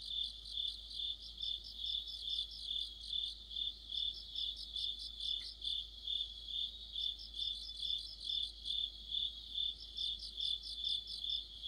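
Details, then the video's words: Crickets with other insects in an autumn chorus, recorded by a streetlight: a steady high band of chirping with pulsed trills above it, rising and falling in waves roughly twice a second, layered callers overlapping throughout. "가을의 한 복판 곤충들의 합창"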